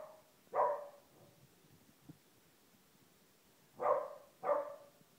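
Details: One-year-old female Corgi trying to get her blind half-brother to play; three short, mid-pitched barks, one single and then a quick pair about half a second apart, with a faint knock between them.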